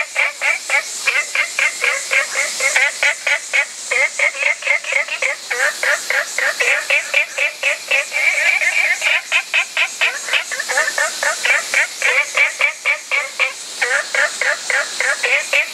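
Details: Spot-bellied frogs calling as a dense chorus, short rapid notes repeated about four times a second, each sweeping up from low to mid pitch with bright upper bands, several callers overlapping steadily throughout.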